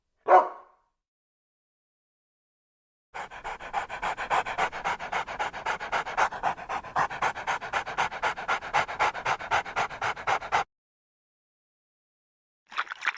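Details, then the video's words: Pet dog panting hard and fast, about four quick breaths a second for several seconds, after a single short vocal sound at the start and followed by silence. "What sounds does a dog make?"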